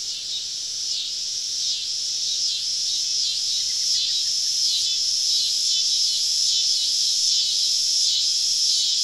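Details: Cicadas singing all around on a southern summer evening, deep in the woods during a camping trip: a dense, shrill, continuous high buzz that swells and dips in regular pulses about every half second, with no other clear sounds.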